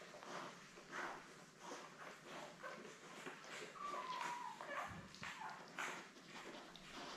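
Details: Litter of seven Labrador Retriever pups, born May 24, 2021, lying with mother Belle under a live puppy cam; one thin falling whine stands out midway among scattered shuffling and soft rustling noises.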